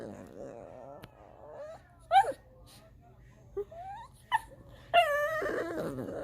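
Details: Indoor pet dog whining to be let up onto the couch: scattered sharp rising yips and short squeals, then a sustained high whimpering cry near the end, over faint background music.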